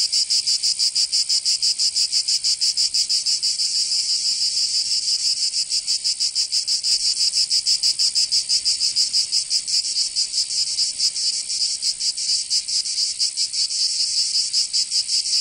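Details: Summer cicada chorus from Provence in the south of France, a continuous high rasping buzz beating in quick, slightly uneven pulses throughout, no other sounds present.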